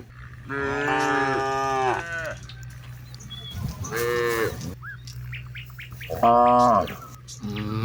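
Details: Cattle from a herd of hundreds out on spacious paddy fields at dusk, calling companions to return home; three strong harmonic moos, each about a second long, with short bird chirps in the pauses.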